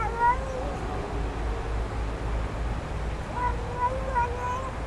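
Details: A stray kitten found in a back yard, offered food, gives thin high meows: one drawn-out wavering cry, a pause, then a rapid run of three or four short rising mews over a low steady hum.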